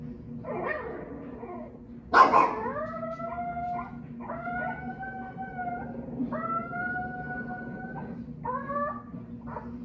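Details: Winston, a Shih Tzu/Pekingese dog, watching TV at home: a series of drawn-out, tonal howling notes, each about a second long, some gliding upward then holding steady, with a short loud burst near the start and a low steady background hum.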